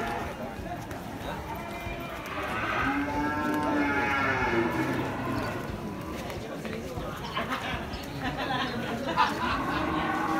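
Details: At the Muaro Paneh livestock market in West Sumatra, a single cow gives one sustained, low lowing moo lasting about three seconds, surrounded by constant human talk and market bustle.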